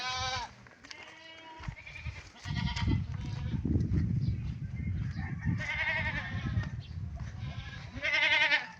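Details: Pet goats kept near their owner's house: nasal, wavering bleats at the start, around the third second, and twice near the end, separated by low rumbling, rustling background noise.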